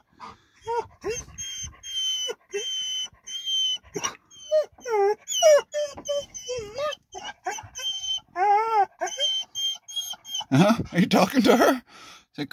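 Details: Excited soft whines from a very quiet dog arriving to meet his canine friends at a parking area: a long run of high, wavering, arched whimpers with brief pauses, a woman speaking near the end.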